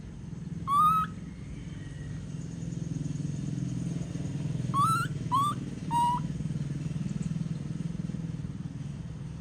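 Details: Baby monkey throwing a tantrum as its mother leaves: four short, high, tonal wails with bright harmonics, one near the start and three close together around the middle, over a steady low engine-like hum.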